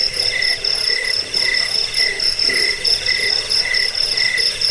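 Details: Cricket sound meant for driving away rats, lulling listeners to sleep and training caged birds. Shrill pulsed chirps come in rapid repeated bursts over a constant high whine, layered like several callers together.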